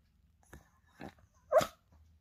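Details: Pet Spitz that acts as a morning alarm clock for its owner: three quick barks in two seconds, the last the loudest and sharpest, indoors with no other sounds.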